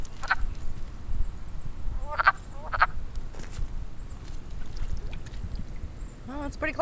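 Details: A male wood frog calls at a garden pond where eggs were laid on 12 March 2013, after a morning of heavy rain. It gives short, hoarse, duck-like clucks in a few quick bursts over a low rumble.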